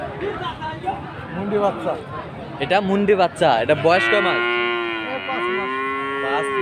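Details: Friesian and cross-breed bull calves at Aftabganj cattle market, Dinajpur, on Saturday 18 March, lowing with several short, overlapping moos, then two long, steady, harmonic-rich moos from the midpoint onward, amid faint market background.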